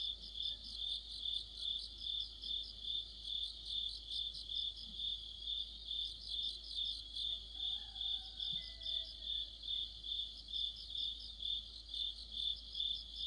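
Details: Crickets with other insects singing together in the middle of autumn under a streetlight; continuous high pulsing chirps, a layer of quick trills coming and going, and a faint soft whistle-like sound in the background.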